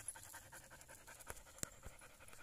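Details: Kali, a Belgian Malinois worn out after climbing a steep mountain trail on a hike, pants in fast, steady, evenly spaced breaths, with a few sharp clicks and scuffs over the breathing.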